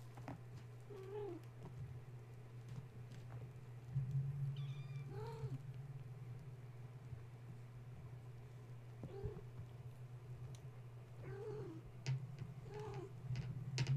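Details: Gaia's kittens, woken at bedtime when a space heater was plugged in, now wound up and climbing a kennel and fence while their mother tries to settle them; repeated short mid-pitched meows every one to two seconds over a steady low electrical hum.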